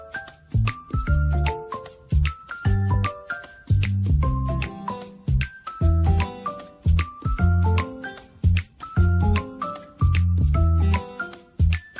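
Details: Bright glockenspiel-style children's music with a bouncing bass line and chiming notes throughout, with no animal sound audible.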